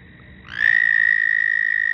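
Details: Frog call rising quickly from a soft start into a loud, sustained, high-pitched trill held at an even pitch.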